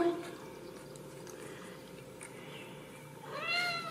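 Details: Ragdoll kittens raised indoors without cages at a cattery in central Kansas; a short rising then falling high meow near the end, after a quiet stretch with faint room noise and a brief thin tone at the start.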